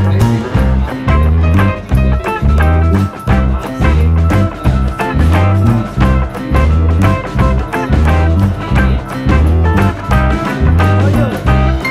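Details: Loud guitar-led blues-rock music with a steady pounding beat fills the whole stretch, with no animal sound.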